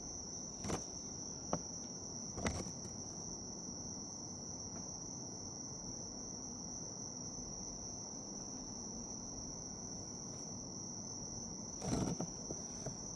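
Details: Bell cricket's continuous high ringing trill sounds steadily throughout, broken by several sharp clicks or knocks near the start and a louder cluster of bumps toward the end, over a quiet low rumble.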